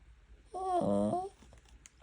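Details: A Maltipoo gives a single tonal, nasal whine lasting under a second; the owner wonders if it means "give me some too" over food, before sit-and-wait commands and eating.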